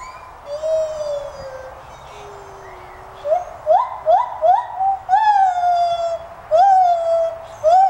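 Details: Zoo-kept white-handed gibbons in Gainesville, Florida, at the Santa Fe College teaching zoo: a few level hoots, then a quickening run of short rising whoops accelerating into louder, longer climbing calls.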